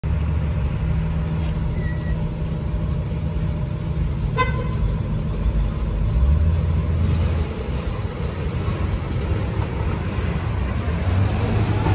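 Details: Steady low traffic rumble with a brief horn toot partway through; no animal voice stands out.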